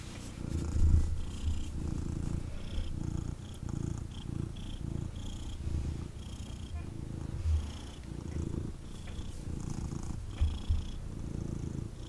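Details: Indoors, a male kitten held in his owner's arms purrs hard, a deep buzzing rumble swelling and easing with each breath, roughly every second, with soft rustling and a few thumps from movement.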